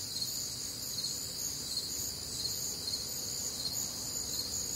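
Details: Crickets and other nocturnal insects on a warm, humid Midwestern summer night, a dense continuous high-pitched chorus with overlapping pulsing trills and no other clear sounds.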